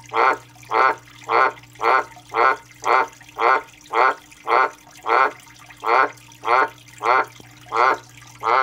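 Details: A male Australian white dumpy tree frog, calling for three days without stopping, repeats raspy, rattling croaks at a steady pace of nearly two per second. About fifteen calls sound over a constant low hum.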